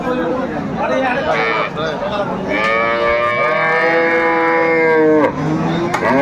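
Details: Cattle at Aftabganj market in Dinajpur on 30/7/24, where improved-breed dairy cows and calves are for sale. A long, steady, drawn-out moo lasts about two and a half seconds over constant crowd chatter and bargaining voices.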